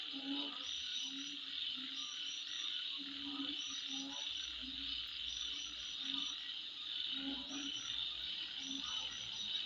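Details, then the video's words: Insects heard at midnight in a steady high, hissing chorus, with repeated brief low croaks scattered through and a soft low rumble joining partway through. "Sound Of Insect At Midnight"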